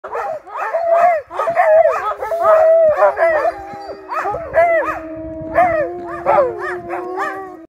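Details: Several sled dogs among trees bark and yelp excitedly together, with drawn-out howling notes woven through the chorus.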